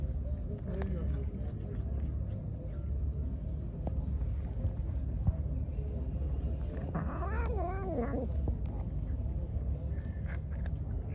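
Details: Hungry, angry pregnant stray cat, fed and then attacking, gives one drawn-out, wavering meow near the seventh second, preceded by a fainter short call, over a constant low rumble throughout.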